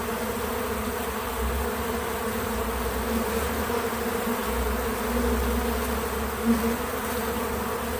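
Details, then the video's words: Bees visiting a feeder, recorded with natural sound and no music or narration: a steady low droning buzz with bands near 200 and 500, swelling slightly around the middle, over a constant hiss. "Bees in Slow Motion at the Feeder 🐝 | Natural Buzzing Sounds"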